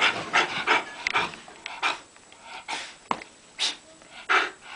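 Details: Miniature Bull Terrier having a mad moment indoors; rapid harsh panting bursts and snorting breaths, irregular, roughly one or two each second, with faint thumps between.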